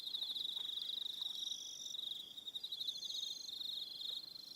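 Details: ['Several crickets trill together at dusk on Aroha Island, New Zealand, a continuous high ringing band with intermittent faster ticking chirps on top, steady throughout.']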